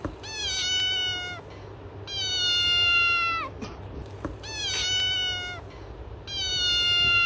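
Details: Baby cats exploring a grassy garden make long, drawn-out, high meows, four in a row, each holding pitch before sliding down at the end, over a low background rumble.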